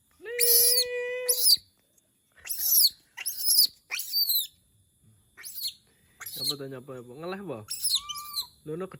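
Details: Monkey said to be calling because it misses humans: a steady whistled tone with stacked overtones, then sharp high screeches in short bursts, with a person talking in Javanese over the later calls.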